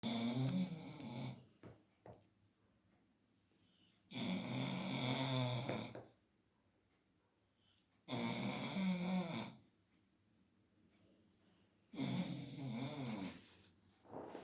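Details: Leo, a Labrador Retriever, snoring through an afternoon nap around 5 pm. Long, deep, rasping snores last about two seconds each, come roughly every four seconds, and are separated by near silence.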